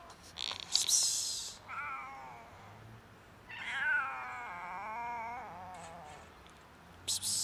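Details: Huge fluffy stray cat on a winter street, hungry and friendly, gives two wavering meows, the second long and quavering; loud hissy rustling bursts come before and after the calls.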